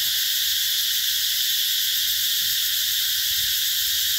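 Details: Cicadas in summer 2021 at the Mỹ Luôn eco-tourism area in the Mekong Delta, among canal-side mango orchards: a dense, steady, high-pitched shrill drone that holds unbroken throughout, with no other clear sounds.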